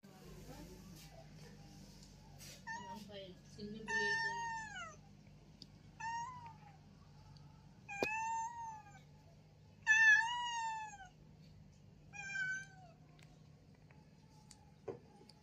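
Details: Domestic cat giving a series of clear meows, each a falling harmonic cry of about a second, repeated every two seconds or so, some shorter chirps early on, with a low steady hum underneath in a quiet room.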